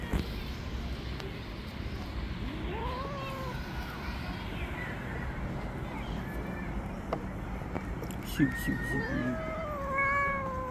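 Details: Female tabby stray cat growing angry after being touched: a short rising-falling yowl early, then a pause with low background noise, and a cluster of longer moaning yowls near the end.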